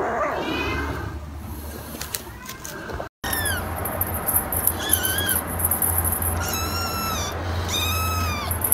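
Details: Kitten meowing in a short series of rising-then-falling, harmonic-rich mews spaced a second or two apart, with a steady low hum and faint background music underneath.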